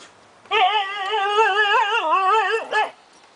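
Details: Siberian Husky puppies about five months old, playing with two adult Huskies in summer 2008; one long wavering whine held for over two seconds, warbling up and down, ending with a short higher yelp.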